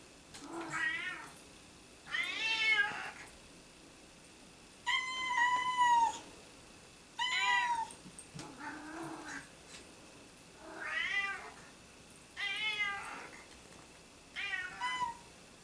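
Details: Domestic cats keep meowing inside a home, giving a long run of about nine meows spaced one to two seconds apart, some short and bent, others longer and wailing, varying in pitch from call to call.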